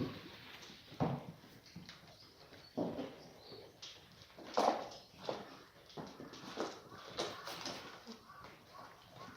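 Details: Black goat mothers and kids in a birthing pen on a farm in Gimhae, South Korea, on a clear Monday morning, 4 March 2019; short bleats come at irregular intervals of roughly two seconds over steady clattering and rustling in the pen.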